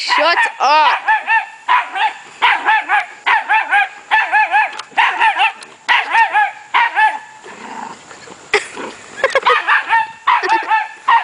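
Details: Puppy giving loud high yapping yips in quick bursts, each a short arched note with strong overtones, about one or two per second with brief pauses, recorded close up.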